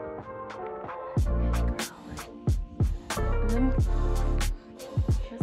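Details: Upbeat hip hop music with punchy bass thumps and sharp drum hits, a faint voice underneath, and no animal sound.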